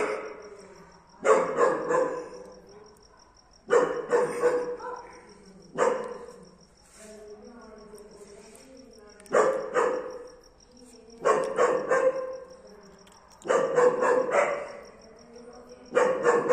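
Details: German Shepherd dog barking for the first time, a black mask type: loud broadband barks in clusters of two or three, bursts returning about every two seconds, with a steady high electronic whine throughout.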